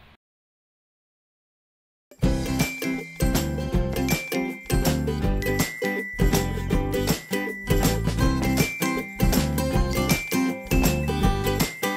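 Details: Two seconds of silence, then upbeat music with tinkling bell-like notes and a regular beat, with no animal sound.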